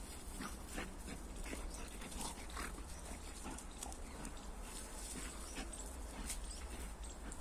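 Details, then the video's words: A Labrador and a pitbull locked in a fight: continuous rough growling and snarling with short sharp bursts throughout, over constant low background rumble. "labrador dog and pitbull dog fight"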